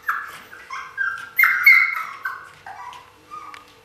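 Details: Siberian Husky puppies, 2015 recording: a few seconds of high, nasal whines, each held briefly then bending down in pitch, with one louder squealing whimper near the middle.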